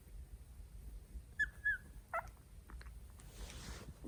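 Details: A litter of three-week-old Italian Greyhound puppies, phone recording: two quick thin squeaks close together, then a brief yelp, over a quiet hissy background.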